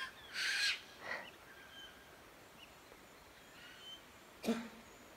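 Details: A kangaroo, seemingly frozen in terror, coughs three times on a hot, humid Tuesday morning walk in a forest in rural Victoria, Australia: two short, harsh, breathy coughs close together, then a sharp one seconds later, with faint bird chirps.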